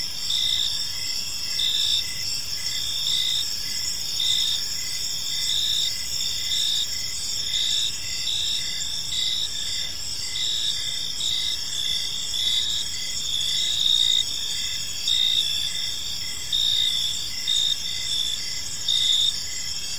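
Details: Crickets chirping in a peaceful park as evening unfolds: a steady, continuous high-pitched chorus of layered trilling bands, with pulsed chirps near the top repeating roughly every second, over a faint low background rumble.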